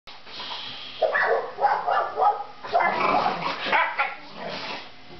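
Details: Siberian Husky in bed, giving a run of loud, harmonic, yowling vocal bursts of about half a second each, starting after one second and repeating roughly every half second for three seconds, with some rising and falling in pitch.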